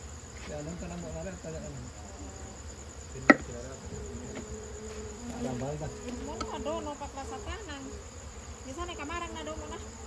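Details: Buzzing of honey bees disturbed while their honey is collected by an amateur, wavering droning tones rising and dipping as bees pass, with one sharp knock just past three seconds.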